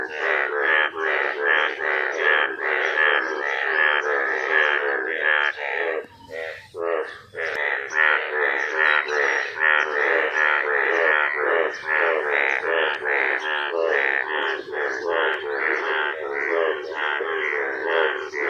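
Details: Frogs call in a dense, continuous chorus of rapid, rasping croaks after rain in a village, having emerged from the ground in the rainy season.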